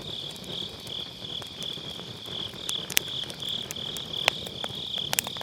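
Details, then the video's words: Grass insects on an autumn night keep up an unbroken high trill with slight pulsing, recorded near a campfire on a Sennheiser MKE600 with low cut; bursts of wood crackling grow more frequent toward the end. "가을밤 풀벌레 소리"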